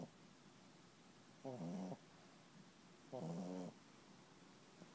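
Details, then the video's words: Puppy asleep and snoring: two coarse, vibrating snorts about half a second each, spaced nearly two seconds apart, in a quiet room with near silence between them. "Snoring puppy"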